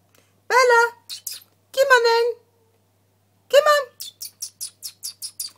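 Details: Two-year-old Ragdoll cat indoors, playing in kitten mode: three clear, fairly high meows with rich overtones, each under a second, followed by a rapid run of short, high chirping clicks.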